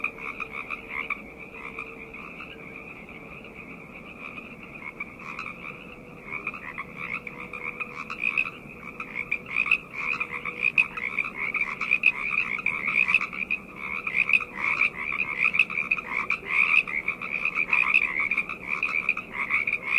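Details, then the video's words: Frogs calling together at night, a dense overlapping chorus of rapid high croaks and trills in two bright bands, building louder after the first few seconds and pulsing continuously with no other sounds. "Frog Chorus - Night Ambient Sounds"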